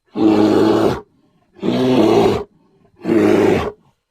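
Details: A grizzly bear (Ursus arctos horribilis) gives three harsh, throaty roars, each under a second with brief pauses between.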